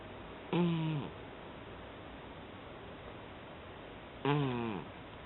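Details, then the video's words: Sleeping cat snoring: two short, harmonic, droning breaths, each about half a second long and dipping slightly in pitch at the end, spaced almost four seconds apart over a quiet room background. "いびきをかく「ねこ」 Zzz... Zzz... Cat!"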